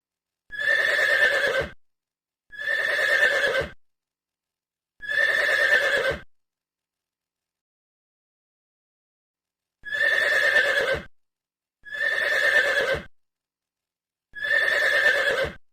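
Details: Horse foal, a baby horse, neighing six times in two groups of three: short, bright whinnies just over a second long, each ending abruptly, with a pause of several seconds between the groups.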